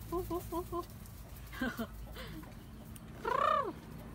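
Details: Baby monkey crying loudly when its mother does not take care of it: a quick run of short chirping squeaks, then a few breaks and a long, loud arched wail near the end over low background rumble.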